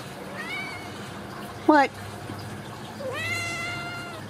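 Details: Ragdoll kitten from a home cattery in central Kansas, raised in the house without cages: a short wavering meow, a sharp high squeak, then a longer level meow, while a woman talks to it in a room.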